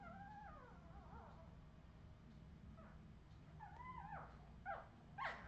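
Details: Several Australian Terrier puppies of the Redwing litter, 2018, give wavering, sliding whines, then quick rising squeaks and a sharper yelp near the end, over a constant low rumble.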